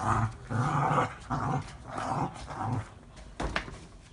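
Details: Cavalier King Charles Spaniel named Frodo gives low, rumbling growls in quick bursts while playing.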